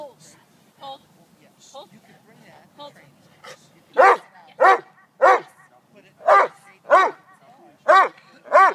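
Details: Neapolitan Mastiff male in bite work and bark and hold training: quiet talk and soft sounds at first, then a run of seven loud, deep barks spaced about 0.6 seconds apart.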